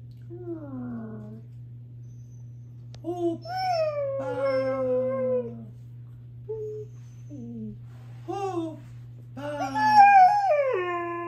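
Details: Group of four Siberian huskies howling: short and longer overlapping tonal howls, some rising then falling, with yodel-like breaks and a louder climbing howl toward the end, steady low hum underneath.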